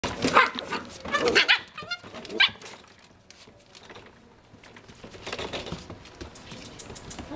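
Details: Puppies wrestling together let out a few short, high yelps and squeaks in quick bursts during the first two and a half seconds, followed by quieter scuffling and soft shuffling noises.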